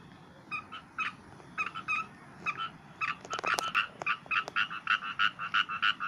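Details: Frog giving short, bright, double-toned croaks, first spaced about once a second, then quickening into a rapid run of evenly pulsed notes as other frogs join in.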